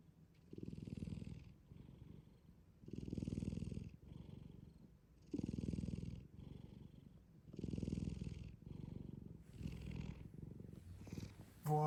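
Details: Shin-chan, a black cat fast asleep, snores in deep, rough, rumbling breaths, five strong snores at about two-second intervals with quieter exhales between, and a brief click at the close.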